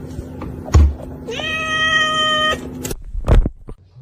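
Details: Domestic cat giving one long, steady, flat meow held for about a second, rich in harmonics, framed by dull thumps and knocks in a room with a low hum.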